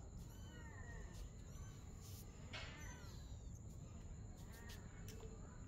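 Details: Domestic cats, a mother and her kitten, playing together at night; several faint, arched meows with rising-then-falling pitch, spaced a second or two apart, over a steady low hum and a constant high whine.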